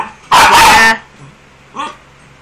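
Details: Frightened pinscher that hates the blower gives one long, loud, harsh bark lasting over half a second, then a short, quieter yip after a pause, with a faint steady low hum behind.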